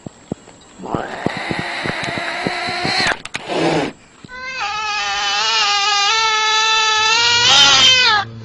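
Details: Domestic cat producing two long, loud yowls: the first steady and nasal for about two seconds, then after a short pause a longer wavering caterwaul lasting around three seconds with warbling pitch, from a compilation of surprising cat sounds.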